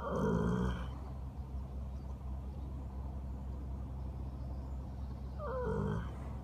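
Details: Sleeping horse lying in the grass, enjoying the sun: a deep, loud groan at the start, then quiet low rumbling, and a second wavering groan that slides downward near the end.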